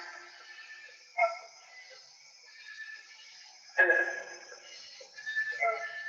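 A green frog gives a few short, twangy gulps, like a loose banjo string being plucked.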